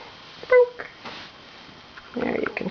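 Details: Four-week-old Tibetan Terrier puppy named Katy Scarlett, indoors, gives a short high whine, then a second fuller whimpering cry about two seconds later, with a woman's voice nearby.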